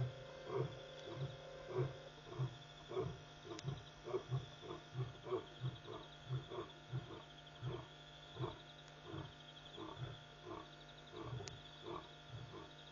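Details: Lions calling repeatedly after midnight at Pete's Pond waterhole, Mashatu Game Reserve, Botswana, August 5, 2014, from a live feed; a long run of deep, evenly spaced grunts about every half second over a constant high insect trill.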